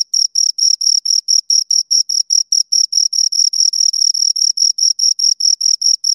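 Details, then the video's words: Pair of crickets producing shrill, evenly spaced chirps at a brisk pace, about twenty-three pulses in six seconds, bright and clean with no other sounds. "Two Crickets Chirp Sounds"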